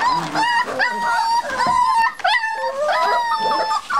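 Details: Seven-week-old Olde English Bulldogge puppies kept together in a puppy box, giving continuous high, thin whimpers and whines in overlapping tonal strands, sliding and wavering, with a few rising squeaks, one short pause midway.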